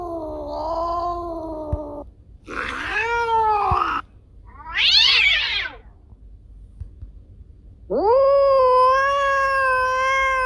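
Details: Cat yowling, offered as a sound to repel rats: a wavering meow, a rough arched wail, a high scratchy screech, then a long rising sustained cry after a pause.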